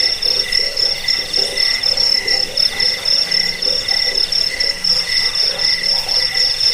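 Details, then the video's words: A chorus of crickets keeps up a continuous piercing high trill in rapid, even pulses, layered over a quieter lower chirping tone. Soft, dull knocking sounds come and go underneath. "Suara jangkik pengusir tikus pengantar tidur"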